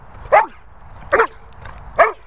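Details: Airedale Terrier barking bossily to demand play, three separate sharp barks spaced under a second apart, each bright and rising then dropping, over a quiet background.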